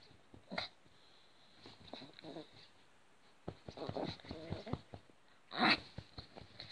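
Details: Yorkshire terrier (Canis familiaris), whines and yips.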